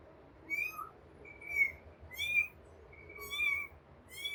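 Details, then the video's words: Baby cat calling for its mother with a run of high, drawn-out piercing cries, some held steady and some bending slightly. Five or so cries come close together, roughly every second, with faint low rumble beneath. "kitten crying for mom"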